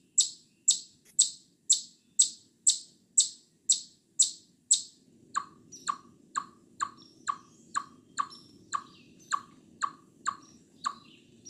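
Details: Eastern chipmunk calling in short bursts: about ten sharp, very high chips at a brisk regular pace, then a run of lower, hollow clucking notes continuing at the same rhythm, with a faint murmur beneath.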